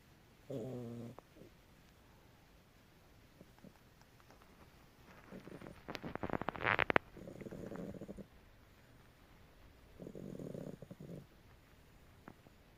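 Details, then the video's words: Pet cat snoring quietly: a few low, buzzy, harmonic breaths about a second long, spaced several seconds apart, with faint rustling and a brief louder clatter in between. "Наша кошка Храпит"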